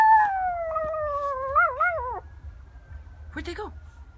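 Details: Tiny 4 lb toy poodle bitch howling in response to a fire truck siren. A long, slowly falling wail breaks into wavering, quavering notes and ends abruptly, followed by a short rising-and-falling yodel and faint background speech.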